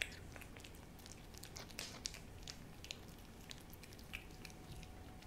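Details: Hodu the cat eating a Ciao Churu treat at home: bright, wet smacking and licking clicks about every second or two, some louder bursts in the middle, over quiet room noise.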